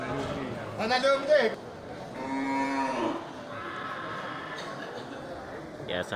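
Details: At the Geurugok animal market on 29 March 2022, the week before Ramadan, large local cattle: a brief, rising moo followed by a longer, steadier lowing, with people's voices and market bustle behind.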